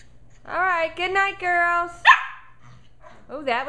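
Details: Two 11.5-week-old Shetland Sheepdog puppies play and wrestle in the evening. Drawn-out, wavering, tuneful whining leads into one sharp bark, then a short pause before another rising whine.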